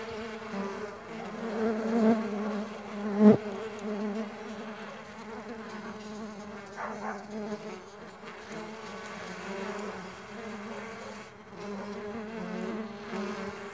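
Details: Stingless bees on a farm buzzing en masse, a continuous wavering drone with a loud close pass and a sharp tap early on, then an even hum throughout.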